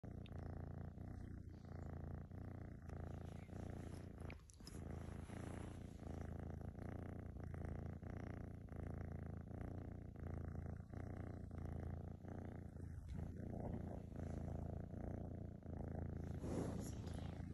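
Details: A half Maine Coon tortoiseshell female kitten gives a deep, steady purr while being petted close up, a low rumbling drone that pulses rapidly and evenly, with faint rustling from handling beneath.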